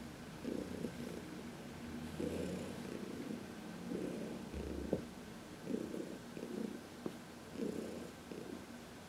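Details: Fourteen-year-old cat Heidi, once arthritic, purrs as she is massaged in the sun, March 19, 2021; even pulsing purr in breath-length bursts about every two seconds, one brief low snort-like rumble.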